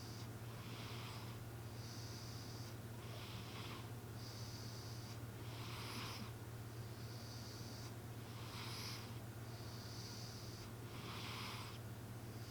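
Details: Snores of M, a sleeping cat, noticed while a TV was on: soft rasping breaths repeat in regular inhale-exhale pairs roughly every two and a half seconds, with a low steady hum beneath.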